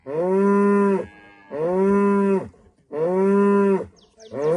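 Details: Female cow in rural Rwanda mooing at sunrise to greet the morning; three full, steady harmonic lows in quick succession with a fourth beginning at the end.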